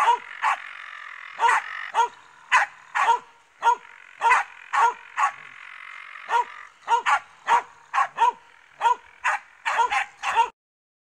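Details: Finnish Spitz barking while confronting a raccoon dog; sharp, loud barks repeated rapidly, about two per second, in uneven bursts with short pauses, over a faint steady background hiss.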